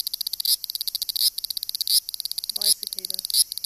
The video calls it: A Japanese cicada (warning: annoying noise)